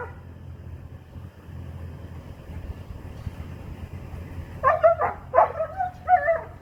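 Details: A young Doberman gives four loud, hoarse barks close together near the end, after several seconds of low rumbling background noise.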